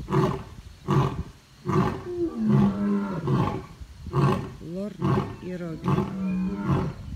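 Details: Lions in the Taigan safari park, Crimea, at dusk in May 2019, giving rhythmic deep grunting roars roughly once a second. Some bursts swoop upward, and a man's voice can be heard faintly.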